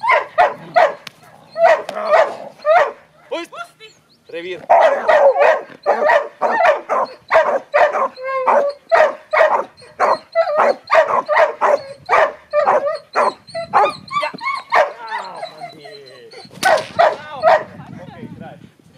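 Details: Border Collie Panda, a retired agility dog aged 9.5 years, barks during protection training she loves: rapid, loud, repeated barks in dense bursts of several per second, with brief pauses, a human voice faintly mixed in.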